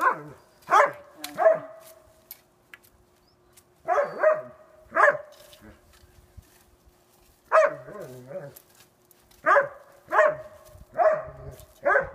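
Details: Sasha, a female dog blind since April 7, 2016, barking in play about two weeks after losing her vision, on April 20, 2016; sharp harmonic barks come singly or in quick pairs and triplets, separated by short pauses.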